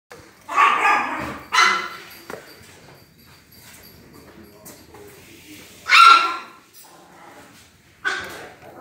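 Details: Pinscher dogs, ages zero and half a year, barking in short harsh bursts, four loud barks spaced irregularly over several seconds with quiet household background between them.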